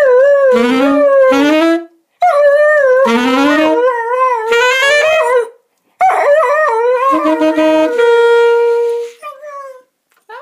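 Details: Whippet howling along with a saxophone: wavering, tonal howls in several bursts of one to two seconds separated by short silences, the pitch sliding up and down, with a held saxophone note near the end.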